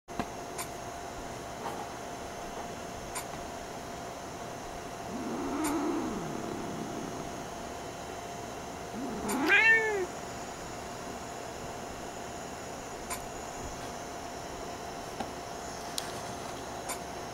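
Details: Angry domestic cat, a male disturbed while trying to sleep when its tail is touched, gives a low moaning growl then a sharp, rising-falling harsh meow with strong harmonics, against a steady electrical hum indoors with faint clicks.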